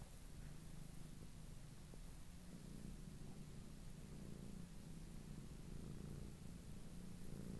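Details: Lop-eared domestic cat kept indoors in an apartment, purring steadily: a soft, even, low rumbling purr that continues throughout with a gentle rhythmic pulse and no other clear sounds.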